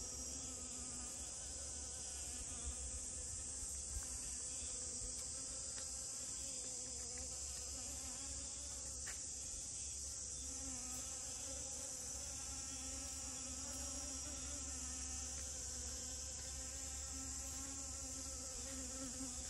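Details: Honey bee at rose moss flowers, a low steady wing buzz with wavering overtones that rise and fall slightly, over a constant high-pitched insect hiss throughout.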